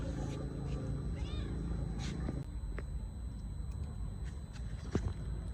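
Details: Hungry stray mother cat while eating, giving one short arched meow early on, followed by scattered clicks and smacking sounds over a steady low rumble.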